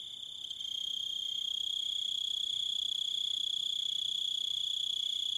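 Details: High, steady cricket trill that swells in loudness during the first second, then continues as an even, piercing ringing drone with faint overtones above.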